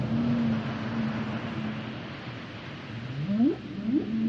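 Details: Humpback whale singing: a flat sustained low hum held for nearly two seconds, a quiet pause, then two short whooping upsweeps rising steeply, over a constant wash of ocean hiss.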